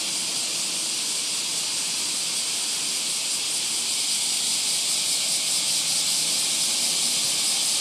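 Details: Deafening summer chorus of cicadas at a train station in Japan on a morning commute: a continuous loud, dense hiss with a fast shimmering pulse, filling the whole clip without a break.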